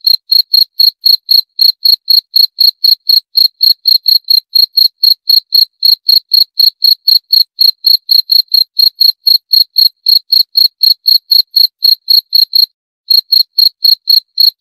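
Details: Steady, rapid chirps from a cricket, about four short high pulses each second, broken by one brief pause near the end. The background is otherwise silent.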